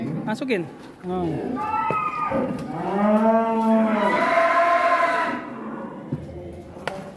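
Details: Cattle raging in a pen at a farm in Kuningan, West Java, a young non-poel 'leher beton' animal: one long arched moo swelling and fading over about three seconds, with short voices and clatter before and after.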